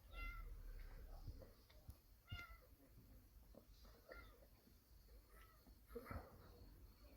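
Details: Kitten mewing while a tabby mother cat shelters it. Faint, short, bright meows recur roughly every second or two over a low background rumble and occasional clicks.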